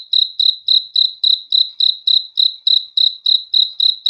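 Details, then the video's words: One cricket chirping after dark, high ringing notes in a quick regular beat of about three and a half per second, ending with a faint click, no other sounds. "THE SOUND OF CRICKETS FOR RELAXATION TO SLEEP AT NIGHT"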